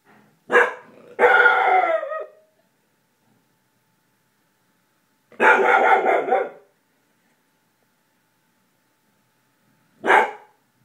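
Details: Gordie, a household dog who seldom barks, warns off someone passing in the hall. He barks mostly at night. Four loud barks come in an uneven series: a quick double at the start, one longer bark midway and a short one at the end, with silence between.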